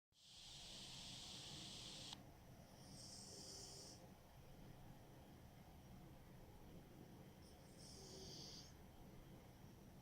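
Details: Smokey, a pet cat, snores loudly in his sleep as he usually does: breathy, hissing snore bursts, one long rush lasting about two seconds, then shorter ones near the third and eighth seconds over a quiet indoor hush.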